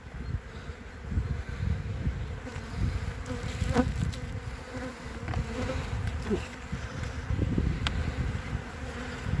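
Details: Honey bees on three frames of an opened hive in February 2021, the colony calm and not stinging, with capped brood; a loud, full, rumbling buzz swelling and easing throughout, plus scattered crackles from handling.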